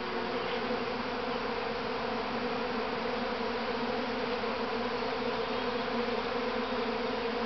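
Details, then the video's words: Swarming honey bees, the first swarm from the mother hive at Grass Lake Sanctuary, Michigan, in May 2012: an unbroken, loud buzzing hum of a huge cloud of bees, steady throughout without pauses. "Honey Bee Swarm"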